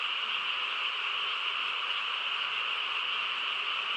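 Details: Frog chorus on a quiet countryside night: a dense, unbroken wall of overlapping trilling croaks, strongest in a high band with a lower band beneath, steady in loudness throughout, with no other clear sounds.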